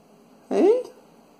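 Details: A 4-year-old female Shih Tzu gives one short, high whine that rises and falls, a self-taught trick to get attention and beg for food when her bowl is empty.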